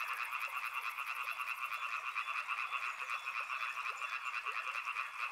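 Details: A riverside frog chorus in full swing: countless rapid croaks merge into a throbbing, rhythmic rattle that pulses several times a second, with a high, fast ticking over the first two seconds.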